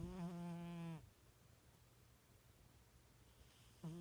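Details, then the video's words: Snoring house cat, sleeping: a single sustained low hum-like snore fading out after a second, then near silence before another snore begins at the very end. "My Snoring Cat!"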